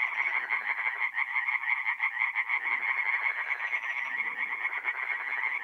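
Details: Chorus of singing tree frogs from a forest pond by night, mid-April, north-east Italy: fast repeated rasping croaks from several frogs overlapping, steady and unbroken for the whole stretch.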